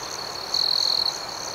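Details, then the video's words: Crickets in the night: a short, loud, high-pitched trill lasting about half a second rises above a soft background of rapid pulsed chirping. "Soothing Cricket Sounds"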